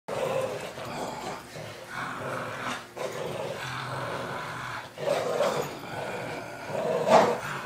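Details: A 6-year-old Boston Terrier in Sun Prairie, Wisconsin, playing tug-of-war and refusing to let go, gives low rumbling growls with short louder bursts near five and seven seconds.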